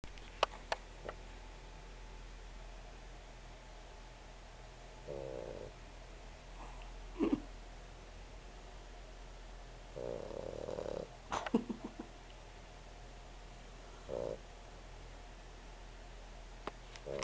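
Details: Sleeping Boxer puppy snoring: soft, rasping snore bursts come at uneven gaps of roughly two to four seconds, each about a second long, with a few faint sharp clicks between them against low steady background hiss.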